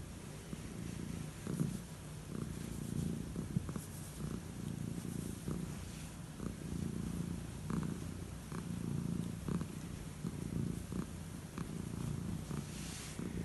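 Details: Elderly calico cat purring while enjoying head strokes before bed indoors; a steady low rumbling purr pulses continuously, with faint clicks and rustles of stroking throughout.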